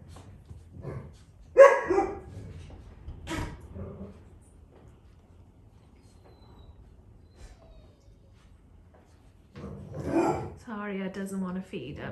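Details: Clicker training of Dalmatian puppies close to six weeks old, with mother Arya present: two sharp barks early on, a long quiet stretch, then a drawn-out, wavering whine at the end.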